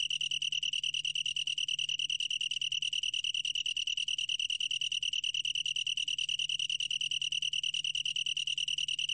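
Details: From Korea's National Institute of Biological Resources, 2020: a long-tailed tree cricket delivering an unbroken, shrill, evenly throbbing trill, steady in pitch throughout, with a quiet low-frequency drone beneath.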